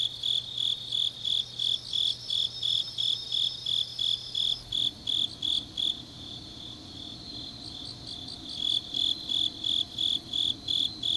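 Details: Grass insects on a deep autumn night in Changnyeong, South Gyeongsang, Korea: a steady high-pitched trilling chirp repeated nearly three times a second, with a low hum through the first few seconds, then a faint steady midrange tone.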